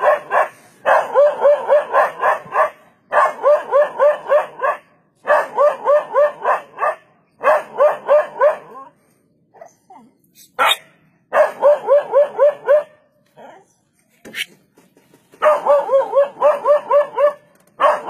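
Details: Barking by a dog confronting a leopard, said to have kept it from becoming the leopard's food; repeated bursts of rapid, sharp barks with short pauses, plus a few faint clicks in the gaps.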